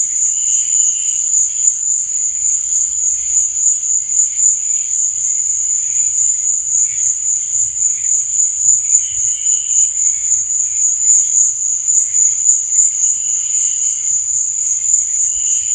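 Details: Crickets at night: a constant high, ringing trill fills the whole stretch, with short lower chirps breaking through roughly every four seconds.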